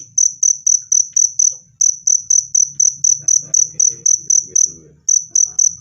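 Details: Cricket chirping, played to repel rats or calm stressed birds: clear, high-pitched pulsed chirps repeated about four times a second with brief pauses, faint low background hum.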